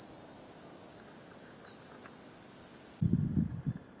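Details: Cicadas buzz steadily on a 37°C July morning in Gifu Prefectural Hyakunen Park, Japan. The high sizzling chorus continues while low thumping footsteps or handling noises break in during the last second.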